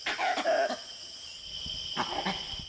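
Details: A langur in Kanha National Park, India, gives harsh, coughing alarm barks that warn the troop of a possible tiger.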